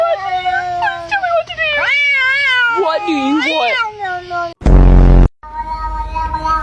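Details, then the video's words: Talkative pet cat vocalizing in a wavering, speech-like way, with quick rising and falling meows run together for four seconds, then a sudden loud noise burst and a fainter steady meow at the end. "Talking Cats Compilation | Funny Cat Noises That Sound Human"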